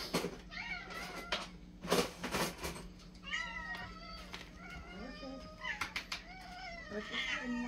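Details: Several house cats in a feeding frenzy over their daily pate indoors: overlapping short, wavering meows, some rising, mixed with clatter and sharp knocks of dishes, a steady electrical hum beneath.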